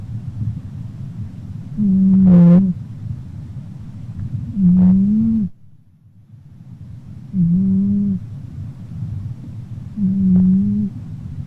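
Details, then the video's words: Sleeping red cat named Pinky snores loudly, each breath a steady low hum lasting under a second with a buzzy edge, repeating roughly every two and a half to three seconds, four snores in all, room otherwise quiet. "Cute Pinky cat VERY LOUD SNORING!"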